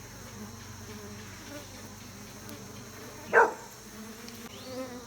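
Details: Low, even humming of bees kept by a beekeeper, a steady droning buzz throughout, broken once by a sharp short knock just past the middle.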